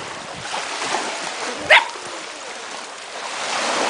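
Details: A single sharp bark from Ripley, a dog racing up and down the beach and barking at the ocean's waves, rises above steady surf and wind noise.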